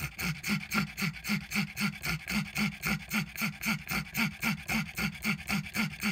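A pug wheezes in rapid, rhythmic breaths, each a raspy, noisy puff repeated about four times a second.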